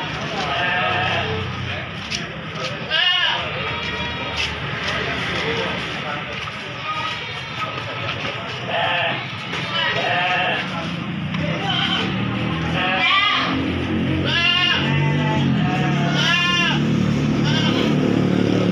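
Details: Gibas sheep calling at Bangsri animal market, Jepara, Indonesia: several tremulous, vibrato bleats scattered through the stretch, clustered toward the end, with constant human talk and market clamour underneath.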